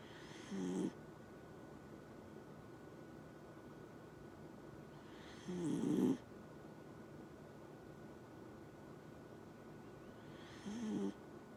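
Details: Dachshund snoring while asleep: three rasping, breathy snores roughly five seconds apart, each swelling briefly, then near silence with a faint steady high hum running underneath throughout.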